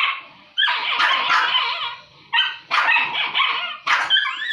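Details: Pair of dogs squabbling over food; bursts of harsh, noisy snarls and barks come in three loud bouts separated by short quieter gaps, ending with higher yelping whines.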